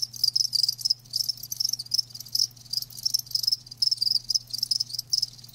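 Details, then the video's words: High, thin chirping from live crickets as natural sound, rhythmic pulsed bursts roughly twice a second, several insects overlapping, with a low steady hum beneath. "Live Crickets 60min "Natural Sound""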